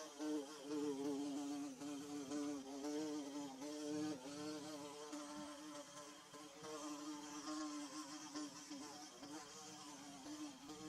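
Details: Droning hum from bees at work on their nest. Multiple buzzing tones waver and overlap, swelling and fading slightly as insects move nearer and farther, with no pause throughout.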